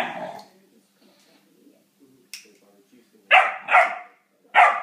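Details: Great Dane puppy barking at a lighter: three short, sharp barks in quick succession near the end, after a softer opening vocalisation and a brief click, with quiet room background.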